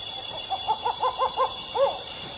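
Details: Crab-eating fox (Cerdocyon thous) giving a quick run of about six short, nasal yelping barks, then one longer yelp that drops in pitch, over a steady high buzzing of insects.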